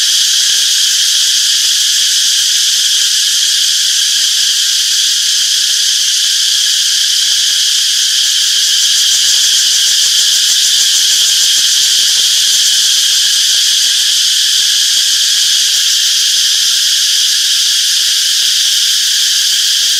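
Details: Summer forest cicada chorus, a continuous shrill metallic hiss at an even loudness throughout, made of many overlapping callers with a slight rapid flutter and no birds, wind or voices.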